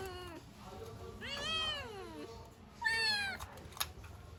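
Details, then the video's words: Kittens crying out for their mother, a pet litter: high thin meows with stacked harmonics, one long cry bending up then down, followed after a gap by a shorter bright meow and a click. "Kittens meow so cute(The kittens wanted their mother)|kittens sounds"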